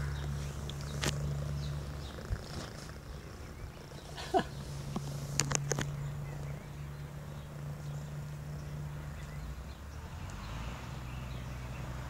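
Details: Domestic Shorthair kitten, six-month-old male in a shelter cage, purring; a steady low rumbling drone with short pauses, and scattered clicks and handling noises over it.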